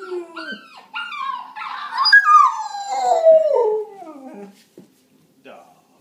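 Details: Pet dog joining in with other dog sounds: quick yelps lead into a long mournful howl. The howl peaks, then glides steadily lower for about two seconds before fading into quiet snuffles.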